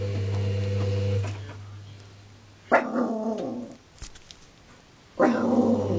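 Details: Foxy, a pet dog, barks when the washing machine does not work: a steady low machine hum cuts off, then two harsh, broad barks about two and a half seconds apart in a small indoor space.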